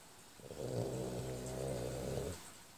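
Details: French Bulldog in deep sleep indoors, giving one drawn-out, low rumbling snore of nearly two seconds, with a steady harmonic buzz that swells and fades; room otherwise quiet.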